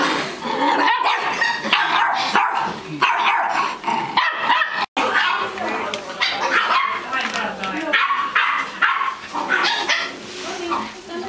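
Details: Bolognese puppy named Maxine at a puppy meeting in Tampere, giving repeated short, sharp barks and yips through most of the stretch, mixed with other dogs and people talking in the background.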